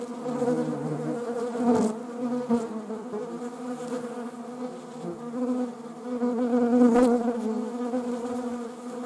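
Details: Honeybees, among wasps, hum steadily in a thick overlapping buzz; two sharp, brief flares near two and seven seconds sound like insects darting past the microphone.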